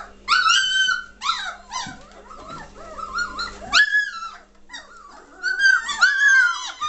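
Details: Litter of German Shorthaired Pointer pups, three weeks old, May 2014, noisy and lively indoors: long drawn-out whines sliding down in pitch, interleaved with shorter whimpers and squeals from several puppies at once.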